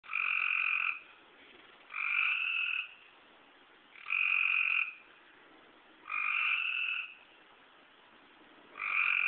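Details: Eastern tree frogs calling to each other on a rainy night in woods behind a home, after dark; clear two-toned buzzy trills about a second long, repeated roughly every two seconds, five calls heard.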